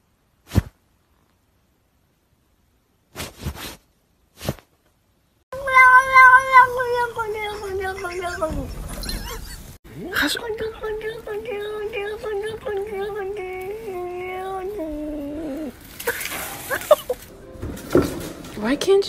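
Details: Domestic cat giving long, drawn-out wavering yowls, one sustained moan falling at its end, then another extended warbling caterwaul with shifting pitch; a few sharp knocks before, and people talking around it.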